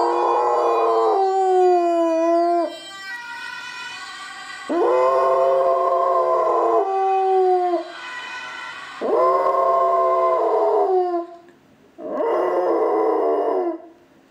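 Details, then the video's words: Pet dog howling in response to a Dutch ambulance siren: four long, loud, wavering howls, each sliding down in pitch over two to three seconds, separated by brief pauses, with faint siren tones between them. "Howling dog and ambulance siren"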